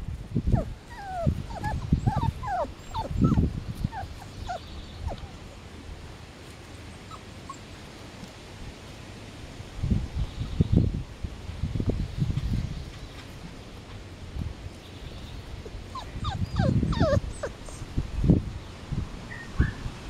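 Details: Samoyed puppies, five weeks old, of the Dancer x Azure litter on 5 July 2014, let out scattered thin, curving whimpers early and late, over steady low rumbling and scuffling noises.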